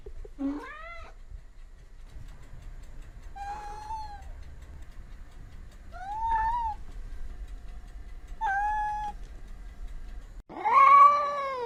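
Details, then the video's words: Domestic cat meowing repeatedly, five short calls spaced roughly every two to three seconds, the first rising sharply, the last louder and longer, over a low hum. "Sounds of cats for relaxation / Sounds of cats for children"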